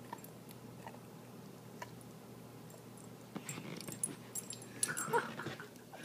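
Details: Tommy, a giant corgi, whines indoors over a treat he wants to bury: soft scattered whimpers that build toward the end into a louder, higher-pitched whining burst, with faint room noise and rustling.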